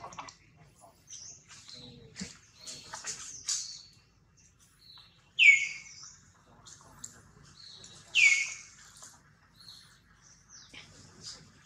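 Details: Newborn baby monkey Jody crying loudly while held by a kidnapper, Spring: two sharp, high, downward-sliding cries stand out amid softer chirps, scrapes and rustling, with long quiet gaps between.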